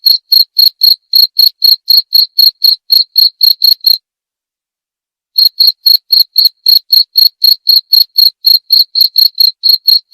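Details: A cricket trills in rapid, evenly spaced high chirps, about four per second, falls silent for over a second near the four-second mark, then resumes the same brisk pulsing; nothing else audible.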